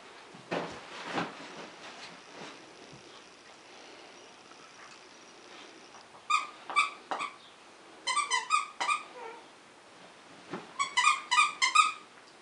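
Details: A dachshund gives bursts of sharp, high-pitched yapping barks in quick clusters while playing with a 10-week-old Malamute/Akita cross puppy.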